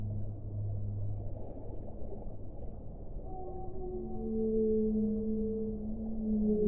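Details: Whale song opening with a faint low drone, followed by overlapping sustained moans that grow louder toward the end, under a steady muffled wash of noise.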